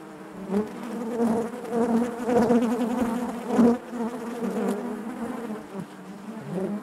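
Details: Inside a honey bee hive: a thick, continuous buzzing hum with layered overtones, rising to louder surges around the middle, uneven pulses of nearby wingbeats over the colony's drone.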